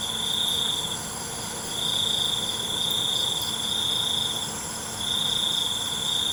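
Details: Nocturnal crickets give a shrill, unbroken trill in pulses lasting one to two seconds, separated by short dips, with a steady layered drone of further insects behind them.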